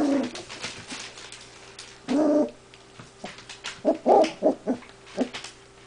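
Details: A big pale male puppy at play with other puppies lets out a drawn-out whine followed by a run of quick, high yelps and squeaky barks near the end.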